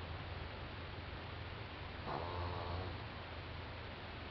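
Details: Sleeping four-month-old French Bulldog Doudou gives one low, rattling snore lasting under a second after a stretch of soft hiss.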